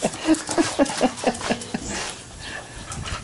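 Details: Little Bubba, an 18-week-old puppy playing in a sprinkler, gives quick rhythmic breaths about four or five times a second for roughly a second and a half, then the sound fades into a soft background hiss.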